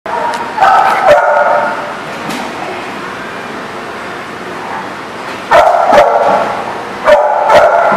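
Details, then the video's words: Dogs barking on 20 July 2018: a cluster of sharp, loud barks, then a quieter stretch of scattered noise, followed by two more bursts of barking near the end. "The Barking Lot"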